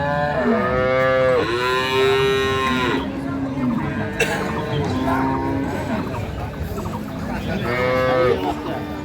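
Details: Improved-breed dairy cows and calves at Ambari market, Dinajpur, Bangladesh: several drawn-out moos, some rising and falling, others flat and low, overlapping through nine seconds, with a sharp click and market noise behind.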